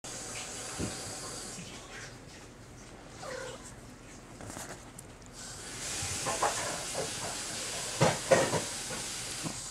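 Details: Red tabby and white male Maine Coon kitten, apparently angry while being handled indoors: drawn-out breathy hissing, strongest over the last few seconds, with soft Japanese speech and rustling.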